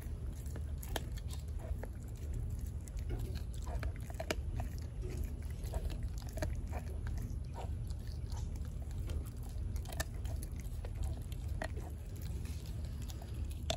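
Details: Four-month-old American Blue Bay Shepherd puppy Denali gnaws her raw turkey neck in a small room, sharp cracks and moist crunches repeating rapidly and unevenly throughout, with a constant low hum underneath.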